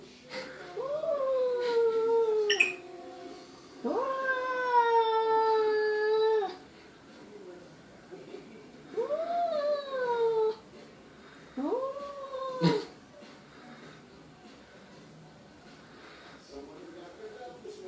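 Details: Perseus, an SPCA-adopted cat, moans at himself in the mirror in a small room: four drawn-out wails, the second the longest at nearly three seconds, each swelling upward then sagging, with short pauses between.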